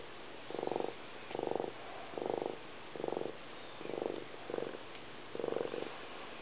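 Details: Cat purr, seven or so evenly spaced rumbling bursts of fine rapid pulses, each lasting under a second, with soft breathy gaps in between.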